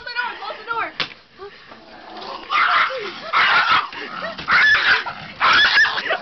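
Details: Scooby, a pet dog, freaking out in his cage whenever someone touches it: harsh, strained screaming and yelping in several loud outbursts, with a person talking over him.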